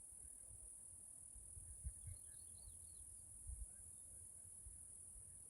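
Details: Forest cicadas in Washington State in the Pacific Northwest keep up a thin, continuous high whine without pause, over soft low rumbling and a few faint scattered chirps.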